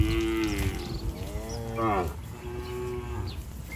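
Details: Tame cattle in a herd running toward the barn in rain: overlapping moos, a wavering low one, then a brief rising call, and a faint later moo, amid heavy low-frequency noise and hiss.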